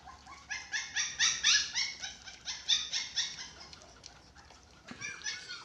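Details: Dachshund puppies, six weeks old, at feeding time: rapid, thin, nasal yelps repeated in quick succession, loudest in the first half, then a pause before a few more short cries.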